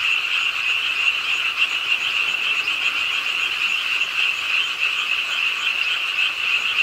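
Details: Rainy late-night frog chorus beside the pond at Ingye Art Park, Suwon: numerous frogs give fast, high, rattling trills that blend into a loud steady drone, swelling slightly now and then.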